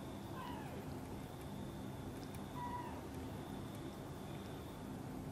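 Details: Two soft, separate meows a couple of seconds apart, falling in pitch, come as an angry mother cat watches her kitten Guitar being carried close to her; a faint steady hum fills the room.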